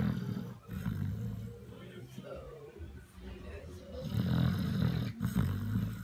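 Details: Basset Hound called BigBoy asleep on his back on a couch, snoring in long low rumbling breaths that swell and fade, the loudest rasping snore coming near the end.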